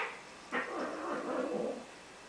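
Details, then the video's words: A female pet cat named Squeaky fusses at her own tail, a frequent habit: after half a second of quiet, a harsh onset leads into a rough, wavering growl-like grumble lasting about a second and a half. "Squeaky fussing and hissing at her own tail"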